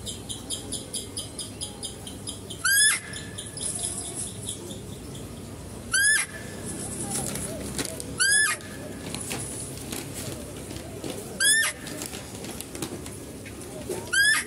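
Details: Female deer in a zoo enclosure, recorded as a male deer is fed. It gives about six piercing, brief squeaking cries at irregular intervals of two to three seconds, with a steady hum and faint voices beneath.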